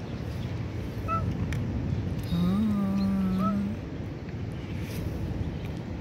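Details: Cat meowing in a park in Israel: a long, low, steady droning meow of about a second and a half. Short higher chirps come just before and after it, over constant background hiss, with brief speech nearby.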